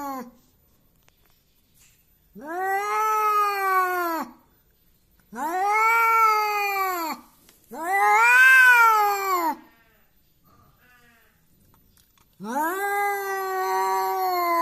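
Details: Angry domestic cat that keeps wanting to fight: long drawn-out yowls, each rising then falling, lasting about two seconds with silent gaps between, four yowls in a quiet room.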